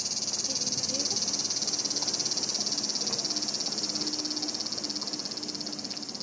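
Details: Summer cicadas in Japan, 2014, said to pass 120 dB, filmed with a Panasonic Lumix TZ20/22: a shrill, high, rapidly beating whine holds steady, then fades slightly at the end, with faint low tones in the background.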